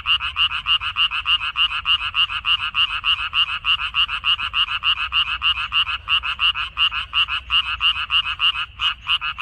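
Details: Chorus of frogs in a Korean minari paddy, May 2021: continuous rapid croaks, several per second, overlapping callers making the rhythm slightly uneven, with brief gaps near the end.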